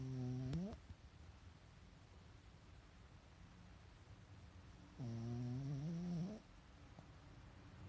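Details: A pet Pekingese asleep indoors, eyes showing their whites, snores twice: a droning, harmonic rasp that bends slightly upward, the first brief near the start and a longer one lasting over a second midway, with quiet room hush between.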